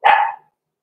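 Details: Six-week-old blenheim Cavalier King Charles Spaniel puppy, one of the pups Roman and Blue born November 14, 2022, in an indoor home puppy pen: a single sharp, loud yip-like bark lasting under half a second, then silence.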